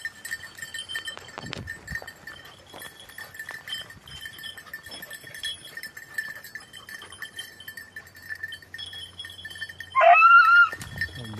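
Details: Red-blue tick and lemon-white beagle during hare hunting practice on Crete in 2022: after a long stretch of quiet, tinkling bell-like tones, one loud, sharp, rising yelp bursts out near the end and drops away.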